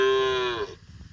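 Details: A cow on a cobblestone street in India gives a single loud moo, a bright harmonic call holding steady then sliding slightly downward before cutting off after about three-quarters of a second.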